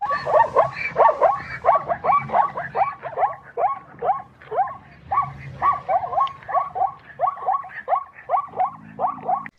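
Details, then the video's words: A zebra gives a long run of hoarse, yelping barks, about one and a half per second; zebras call to keep in contact with the herd, warn it of danger before fleeing, and express joy or fear. "வரிகுதிரையோட சத்தம் இந்த மாதிரிதான் இருக்கும்."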